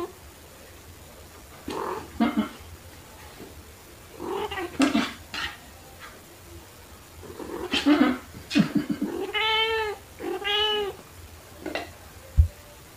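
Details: Pet cats Pepper, a black cat, and Kofi, a torby, play with fluffy toys at home, March 2021. Scattered thumps and rustles lead to two clear, arching, tonal meows in close succession near the end, recorded on an OPPO A5s phone.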